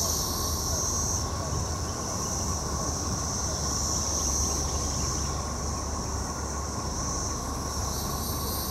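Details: Periodical cicadas (Magicicada, Brood XXIII) in Jackson, Mississippi, in 2015 fill the air with a steady, unbroken droning chorus over a low rumbling background.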